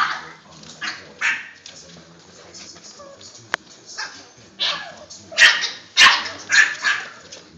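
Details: Boston Terrier puppies playing inside a tent, giving short sharp barks and yips in bursts, loudest and most frequent toward the end, with scuffling and a sharp click between calls.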